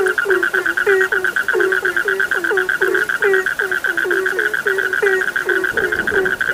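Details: Many frogs croaking at once: quick low downward croaks overlap a constant high pulsed trill, keeping a dense, unbroken rhythm, with a brief muffled knock near the end.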